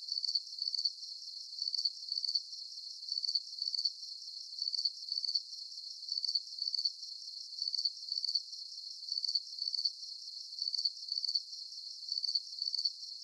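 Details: Nighttime crickets with a bright full moon sing a regular train of high, trilled chirps. Each burst is split into two quick pulses, and the pattern returns roughly every 0.7 seconds without pause.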